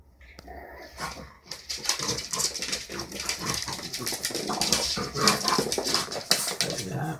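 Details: Two French Bulldogs at play, with a cat nearby, give rapid, irregular snorts, grunts and raspy huffs in quick bursts.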